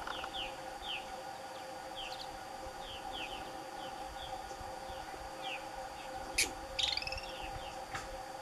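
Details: Franklin's ground squirrels, a pair locked in a fight at Douglas Regional Park one July 30, 2018 morning near 8 am; two quick, loud, harsh squeaks with harmonics follow many descending bird chirps over a constant low drone.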